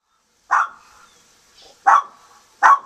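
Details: Nikki, a guard dog, barks while protecting caged doves from a young hungry hawk: three sharp, loud barks, the first separated from the other two by a pause of over a second.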